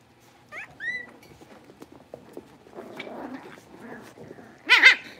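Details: Blenheim Cavalier King Charles Spaniel puppies, a litter of five born at New Year's, moving into a bigger indoor pen. High whistled whines rise and fall early on, then soft rustling, then a sharp cluster of yelps near the end.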